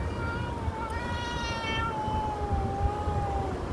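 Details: White cat, one of several that regularly come to the front of a shop in Saudi Arabia, giving one long, drawn-out meow that dips slightly in pitch toward the end, over low traffic rumble.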